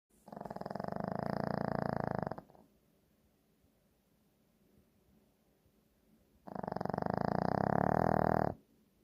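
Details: A Shih Tzu snores. Two loud, rasping, buzzy breaths about two seconds long each are separated by roughly four seconds of quiet breathing.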